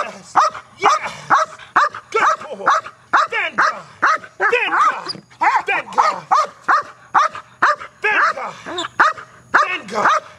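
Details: Male guard dog being trained KNPV style to bark aggressively at a box: steady, loud, sharp barks about twice per second throughout, with a man's voice mixed in.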